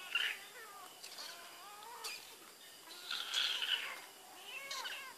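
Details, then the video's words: Pet cat Barbie Choc smelling Whiskas utters a series of short and longer meows, some rising then falling, spaced irregularly across several seconds, with faint clicks between calls and a quiet room background. "Barbie Choc Smelling Whiskas"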